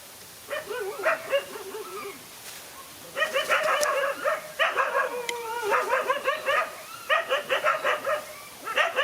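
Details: Dog fight with two males against a single dog: drawn-out whines and snarling yelps sliding in pitch, broken by dense runs of quick barks, nearly continuous and loud.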